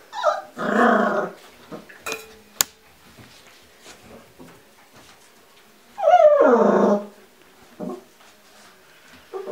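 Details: Giant Schnauzer at a wind farm: two rough, throaty bursts about five seconds apart, each close to a second long, with a sharp click and quiet shuffling between them.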